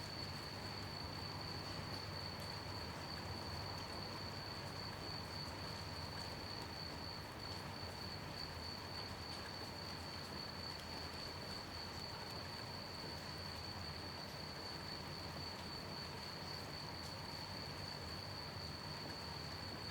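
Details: At night in steady rain, crickets keep up an unbroken high shrill trill for twenty seconds beneath a broad wash of rain noise and a low rumble.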